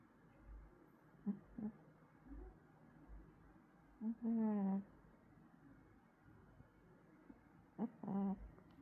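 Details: Sleeping cat making soft sleep-talk sounds indoors: a few brief, low murmured mews, one longer wavering moan near the middle and another pair near the end, separated by quiet breathing in a small room.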